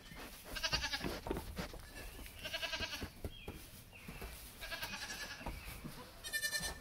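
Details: Playful Nigerian Dwarf kids with their moms give four wavering, trembling bleats spaced through the recording, with scuffing and movement noise in between.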